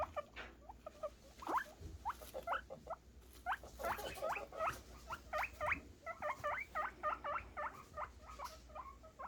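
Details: Male guinea pigs (boars) squeak in quick, repeated high bursts, happy, excited calls made while waiting for food.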